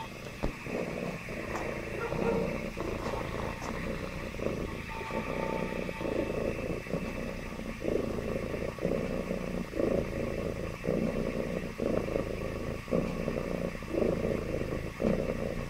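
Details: A happy domestic cat purring: a low, rough rumble with rhythmic breath breaks about every second, over a steady background hum.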